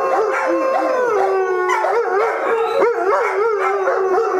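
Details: Dogs of the Oaktown Pack, Travis among them, howl in chorus: sustained tonal wails layered with short yipping, wobbling notes that bend up and down repeatedly across a few seconds.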